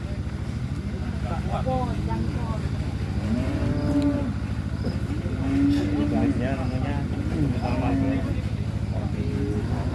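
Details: Giant cattle from Kediri at unloading from a truck: repeated shorter lows and moos, partly masked by a constant engine drone and a man talking.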